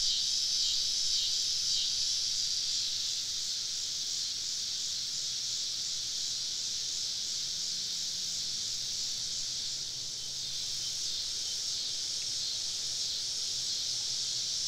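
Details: Summer evening cicada chorus recorded camping deep in southern woods, many insects surrounding the listener; a continuous high, hissing drone that dips briefly in loudness near the middle, over a soft low hum.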